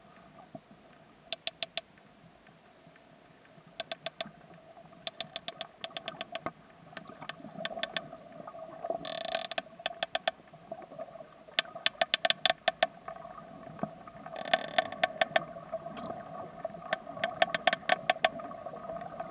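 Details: A female sperm whale (Physeter macrocephalus) gives rhythmic click codas, with clicks and creaks, calling out to a smaller companion and echolocating while spinning near the surface. Subtle clicks from her social unit sound from the depths: social contact calls.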